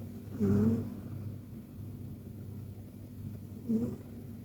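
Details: A Persian cat sleeping in a deep, cozy nap, snoring softly: two short, low, rasping snores about three seconds apart, with quiet breathing between.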